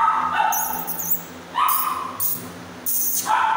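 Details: Siberian Husky puppies offered for sale at a kennel in Pune and Mumbai, Maharashtra, India, giving short, strained yelps and whines in separate bursts, each held about half a second, with a steady hum underneath.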